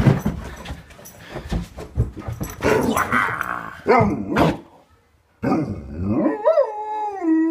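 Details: Alaskan Malamute dog indoors, coming upstairs in the morning to say good morning to its owner: rough grumbling vocal noises, a brief pause, then a drawn-out tonal woo-like howl that wavers, rising and falling.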